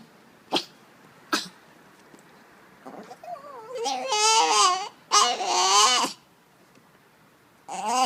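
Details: A dog named Nehbey making weird noises. Two sharp breathy snorts come first. Then comes a rising, wavering moan and two loud, yodel-like whining bursts of about a second each, with another whine beginning at the end.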